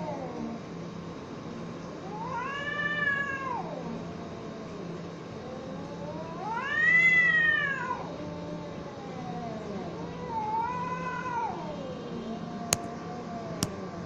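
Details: Cats fighting: a series of long, arched yowls, three rising-and-falling wails spaced a few seconds apart, the middle one loudest and highest, followed by two sharp clicks near the end over a constant low hum.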